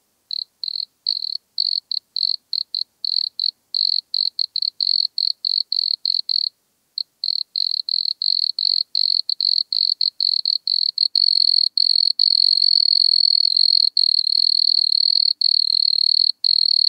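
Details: Wood cricket singing at Altenberg, Austria, in August 2022: short high chirp-like bursts repeated several times a second, gradually merging into one long, continuous ringing trill, with no other sounds.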